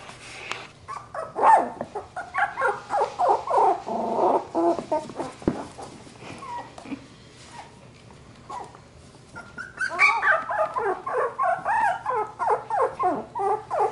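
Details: Labradoodle puppies from Luce's litter at playtime: dense runs of high yips, whines and growly little barks, a quieter lull around the middle, then another lively burst of overlapping squeaky yelps.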